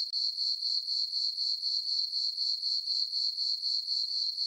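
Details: High-pitched cricket chirping from a summer night meadow on a farm under the full moon, a continuous bright tone beating in quick regular pulses, roughly four each second, with a quiet background.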